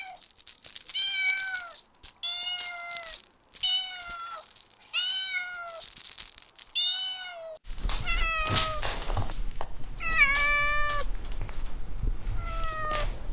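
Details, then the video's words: Young dogs at play in a garden utter quick, high whimpers in a steady series, each a short falling cry, later over a rumbling low background noise. "Adorable Puppies Playing in the Garden – Cute Dog Sounds"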